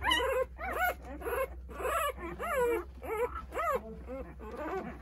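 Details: Newborn Jindo puppies, nine of them at eight days old, whine while looking for their mother Sarang; dense, arching cries come almost nonstop, roughly two per second, over a constant low drone.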